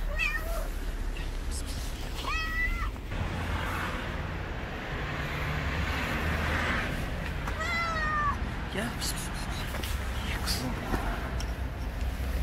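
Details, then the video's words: Stray street cat meowing loudly, as if wanting to tell something: three insistent, bending meows spaced several seconds apart, with a person talking and steady low traffic noise in the background. "The Cat Meowing loud wants to tell me something."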